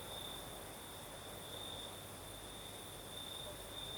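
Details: Crickets singing at night in the south, in Crimea, with a night breeze: a steady high trilling band, continuous and slightly pulsing, with a fainter higher shimmer above it and soft broadband breeze noise underneath.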